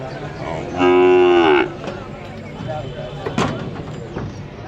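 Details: White Australian calf brought by hand for sale gives one short, rising-then-falling nasal moo lasting under a second, followed by outdoor background noise and a sharp knock.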